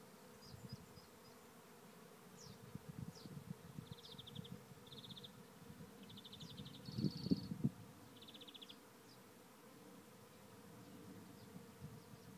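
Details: Swarm of thousands of bees entering a trap hive at Lisballyard, Rathcabbin, Tipperary, Ireland; low droning hum with flickering wingbeat bursts, while a bird's short high trills repeat in the background.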